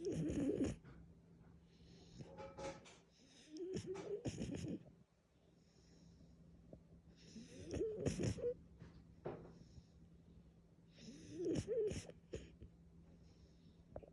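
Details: French Bulldog snoring while asleep; wheezy, rasping snores with snorting breaths, each lasting about a second and returning every three to four seconds, separated by quiet pauses.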